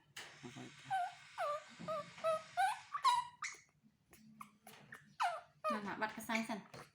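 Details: A baby male monkey calls to get his mother to comfort and hug him: a run of high, falling, squeaky cries in quick succession, then scattered softer squeaks, with a woman talking nearby indoors.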